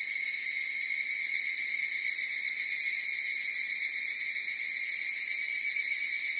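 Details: Chorus of higurashi cicadas giving a continuous shrill, tonal drone of layered high bands, slightly wavering and holding one level from start to end, with nothing else heard.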